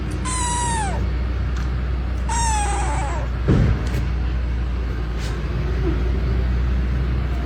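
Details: Two high falling meows from a kitten two seconds apart, followed by a short thump and a quiet stretch with low steady hum.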